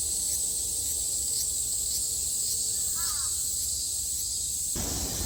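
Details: Cicadas in Japan in summer 2022 give a steady, high, sizzling buzz. A single faint crow caw comes midway, and the buzz gives way to a brief broadband rumble at the very end.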